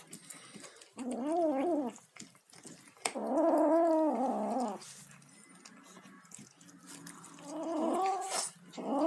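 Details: An eating kitten gives several wobbling, modulated moans: a short one, then a longer wavering one, then softer grumbles near the end, with eating clicks and handling noise throughout.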